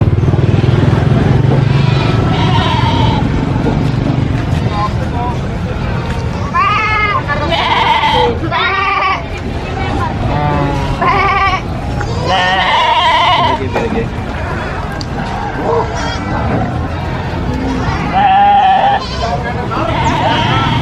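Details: Goats screaming amid a busy crowd: several loud, wavering, harmonic bleats around the middle and near the end, over constant human chatter and low vehicle rumble.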